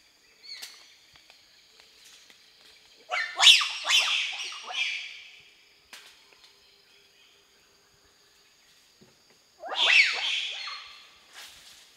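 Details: Wild bonobos tracked in Bateke Nord, western Democratic Republic of the Congo, give two bursts of shrill, squealing calls that tumble downward in pitch.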